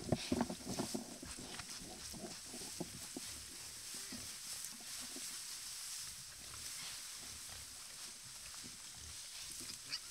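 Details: Many wild boars at a watering hole in their natural habitat: short rough grunts and snorts open the recording, followed by scattered clicks and rustling as the animals move about, with a steady high hiss in the background.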